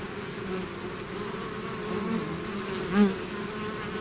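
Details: Steady droning of a bee swarm emerging from its hive, many wings blending into one hum, with a single close bee zipping past around the third second in a brief louder buzz.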